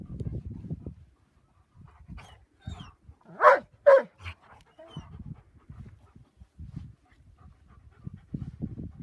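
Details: Giant Schnauzers chasing birds on Porthmadog beach at Black Rock Sands, Wales, while playing: soft panting and snuffling, then two sharp, loud barks in quick succession midway, followed by more quiet breathing and low rustling.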